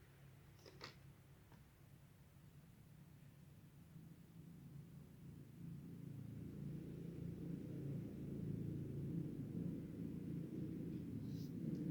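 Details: A steady low rumble builds over time, with a couple of faint clicks early on and no animal voice.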